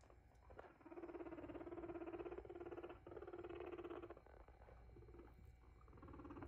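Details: Abyssinian guinea pigs make a steady, buzzy, pulsing rumble at a fixed low pitch, running in two long stretches of about one and a half seconds each, then fading to quieter chatter.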